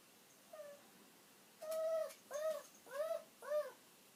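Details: Aged pet dog Kiri whines indoors as it waits for its owner's return: a faint short whine, then four louder arching cries in quick succession, each swelling and dipping in pitch, roughly every 0.6 seconds.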